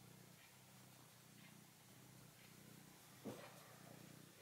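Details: Red male domestic cat purring while kneading a plush mammoth toy indoors; a steady low rumbling purr pulses evenly throughout, with one brief soft knock near the end.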